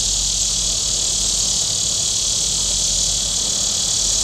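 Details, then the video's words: Steady, piercing buzz of cicadas along Table Rock Lake in southern Missouri on a hot day, constant in pitch and loudness, with only a faint low background hum. "Boating Lake Sounds and Cicadas"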